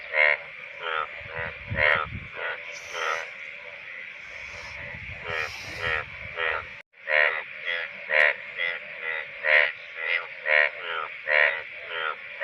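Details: Indian bullfrog, the rain frog of the monsoon season; males call from shallow water during the breeding season. Rasping, pulsed croaks repeat about every half second, with broadband low rumbling bursts between 2 and 7 seconds.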